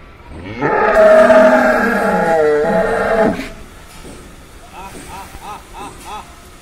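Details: Massive angry bull kept ahead of Qurbani Eid lets out one loud, long harmonic bellow lasting nearly three seconds that wavers and dips in pitch midway, followed by quieter, short, repeated chirping calls in the background.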